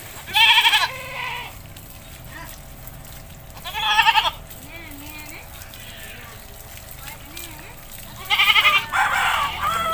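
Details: Goat in an Indonesian village during bathing, letting out quavering bleats at the start, around four seconds and near the end, with low human voices and soft rural noise in between.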